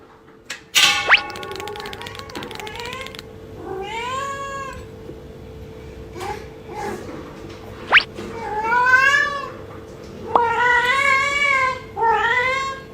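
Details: Yuanbao the house cat meows insistently in the early morning, wanting more food after eating and answering back when scolded; about six meows, some short, some drawn out and falling, with a few sharp knocks in between.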